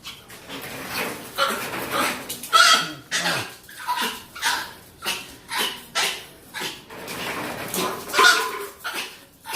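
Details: Pet dog, female, set off by odd sounds into spinning and vocalizing; a long irregular string of high yelps and whiny barks, some with a squealing tone, while people talk in Spanish nearby.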